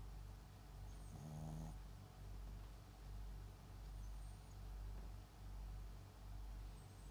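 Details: MAX, a sleeping Papillon × Japanese Chin mix dog, snores softly indoors: low rhythmic breaths less than a second apart, with one brief nasal, buzzy tone partway through.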